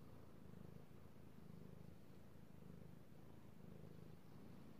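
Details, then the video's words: Cat purring while petted, recorded 3/16/18: low rumble pulsing in regular in-and-out breaths, roughly one swell a second, over faint background hiss. "Petting Io the Kitty Cat / ASMR Cat Purring"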